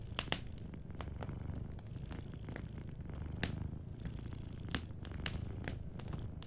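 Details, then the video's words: Low, even purring from a cat asleep by the fire, a constant pulsing drone beneath irregular crackles and several bright pops from burning wood. "Warm Fireplace Ambience with a Sleeping Cat 🐱💤Fireplace & Soft Purring"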